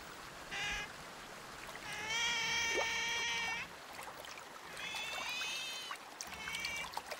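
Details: Sea otter voicing a series of strained, harmonic squeals of varying length, the longest about a second and a half, over a continuous splashing, watery background.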